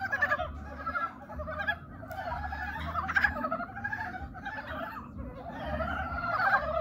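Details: Courting frogs calling together, many rough, trilled croaks layered over one another in uneven waves, rising louder at the start and end, with a faint low rumble beneath.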